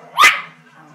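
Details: A single loud, sharp, bright bark from a poodle reacting to a bull shown on television indoors, cutting off quickly over a faint low hum.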